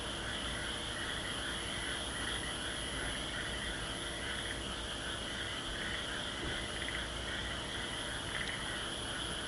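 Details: A dense frog chorus in Aso, with overlapping trilled and pulsing calls, steady and unbroken throughout.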